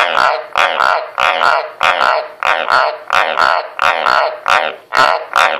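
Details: White's tree frogs croaking on command: a steady run of short, harsh, raspy croaks, about eleven in under six seconds, each a rich buzzy pulse with a ringing middle tone, coming roughly twice per second with brief gaps between.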